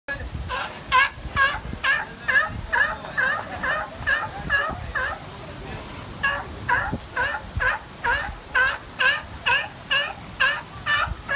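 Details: A sea lion in the Bahamas gives a long run of harsh, honking barks, several every second.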